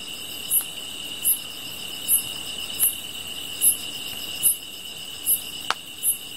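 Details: Insects chirping, shown alongside a crackling fire: a steady high trill continues throughout while a sharp, very high chirp repeats roughly every 0.8 seconds, with faint clicks and pops in between.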